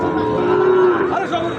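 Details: Sahiwal bull calves at Ambari cattle market (haat), held on Fridays and Mondays, being bought and sold; a single drawn-out, steady low moo lasting about half a second rises above dense crowd chatter.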